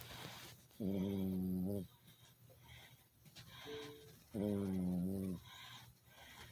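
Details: Snoring from a sleeping Chihuahua, two droning, buzzy tones lasting about a second each and spaced some three and a half seconds apart, with faint breath noise between them.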